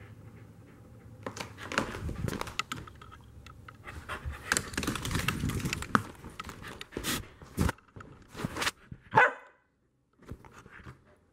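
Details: Pet Corgi during chasing play indoors, followed at Corgi level: heavy rhythmic panting mixed with scuffling and movement noise, then one sharp bark near the end before a short silence.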